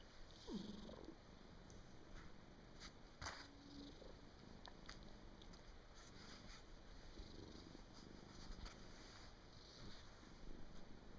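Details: Soundly sleeping house cat, recorded indoors on 23 December 2017 near year's end, gives a faint low continuous snore beneath steady background hiss, with occasional light taps and rustling.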